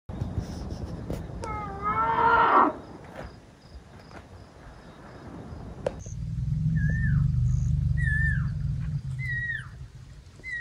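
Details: Elephants from a herd outside a tent at night in Tarangire National Park, Tanzania; a deep, steady low purr swells in the second half, following bright, descending whistled bird calls repeated every second or so.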